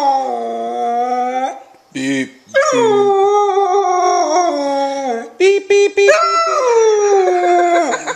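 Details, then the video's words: A husky puppy howls in response to a person saying "beep beep", a noise it hates, in long, wavering tones that slide up and down, broken by brief sharp bursts. "Cute Husky Puppy Howls at "Beep Beep Beep" Sound"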